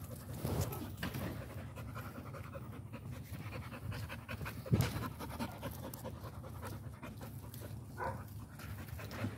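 An American Pit Bull Terrier pants steadily in quick, breathy, rhythmic puffs.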